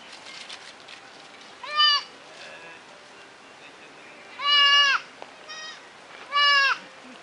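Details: White and red goat kids filmed on a digital camera: three loud, bleating cries with a wavering, nasal tone, each about half a second long, spaced a couple of seconds apart. Faint rustling in between.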